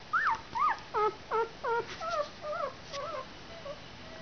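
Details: One-week-old puppies whimpering: a series of about eight short, tonal, arching squeals, bending down at the end, roughly two to three per second, fading toward the end against a faint steady hiss.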